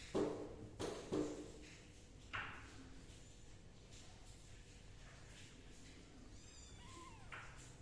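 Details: Kittens being dried with a dry towel and a gentle hair dryer give short, mid-pitched meows in a quick cluster at the start. A higher, upward-sliding mew follows near the end over a soft steady background hiss.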